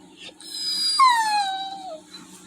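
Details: Toby, a pet Labrador Retriever, sad after missing his walk because of rain, lets out a single high whine that starts bright, then slides downward over about a second with many stacked overtones, while a steady low indoor hum runs underneath.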